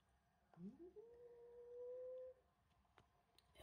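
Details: Unhappy house cat George, confronting newcomer kitten Milo, who stole his tuna, utters a single steady, drawn-out moaning yowl that rises briefly at the start and holds level for over a second in a quiet room.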